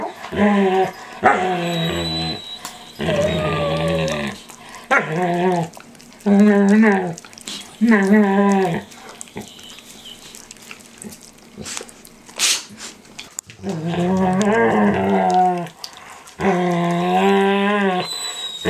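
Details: Standard poodle Micah, eight months old, nibbling an older poodle's face and ears in a daily indoor ritual; wavering, moaning groan-whines in bursts of one to two seconds, separated by short pauses and faint rustling.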